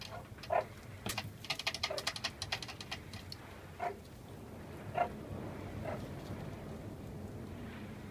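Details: Meerkats playing with a candy cane cat teaser toy give short, high chirping peeps, spaced a second or more apart, among rustling and clattering noises.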